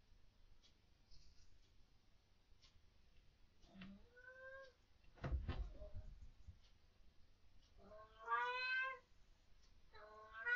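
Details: Domestic cat vocal at night indoors, reacting to what its owners believe are ghosts or orbs; a few rising-falling harmonic meows, the loudest near the end, with a thump and quiet room noise between.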